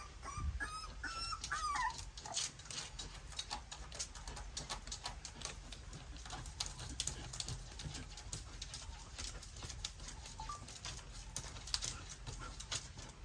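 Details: Young puppies feeding on their mother's milk: a few thin whining squeaks at the start, then dense, rapid wet clicking and smacking from suckling that continues throughout.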